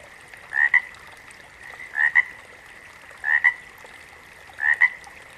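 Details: A frog gives four double-pulsed croaks at intervals of about one and a third seconds, the first pulse rising a little, over a continuous high background hum of other calling.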